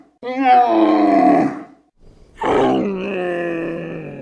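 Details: Camel producing two loud, wavering groans, the first falling slightly in pitch and the second a long, steady, nasal drone trailing off at the end.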